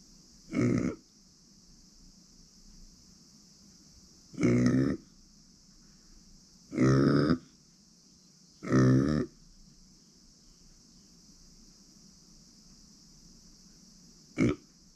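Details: Female micro pig named Uni, born September 2020, grunting indoors: four short, low, harmonic grunts spaced a few seconds apart, plus a brief final one, over a steady high-pitched background hum.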